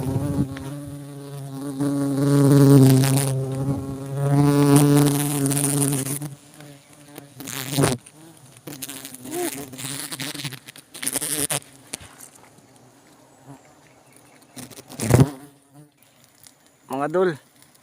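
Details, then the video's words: Swarm of honey bees at a honey harvest, a loud steady hum with stacked tones for about six seconds, then quieter buzzing under bursts of talk, knocks and scraping. "Full video ng pag puhag sa pukyutan"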